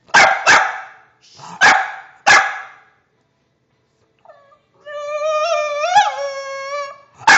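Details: Screeching deaf bulldog indoors: three sharp barks, a pause, then a sustained warbling high screech that rises and falls for about two seconds before another bark.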